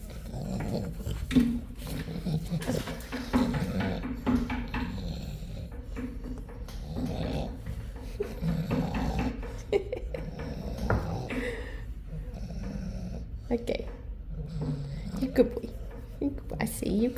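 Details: A dog indoors keeps growling while a person talks to it in Hungarian, calling it a good boy and mentioning chicken; low rumbling growls run throughout under the speech, with a snore-like snort near the end.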